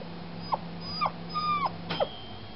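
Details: Foster puppy, just spayed, whining all night: four clear high whimpers about half a second apart, each sliding downward, one held longer and flat before dropping, over a faint low hum.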